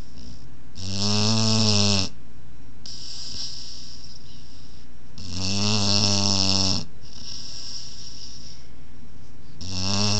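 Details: Oya, a 20-week-old Boerboel puppy, snoring during a nap: loud, deep, rumbling snores with a strong layered tone roughly every four seconds, alternating with softer, breathy hissing breaths in between.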